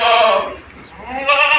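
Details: Castrated male goats, 14 to 15 months old and weighing about 60 to 90 kilograms, raised on a goat farm and sold for Bakri Eid; a rich, harmonic bleat opens, fades into a quiet gap, then a second bleat rises at the end.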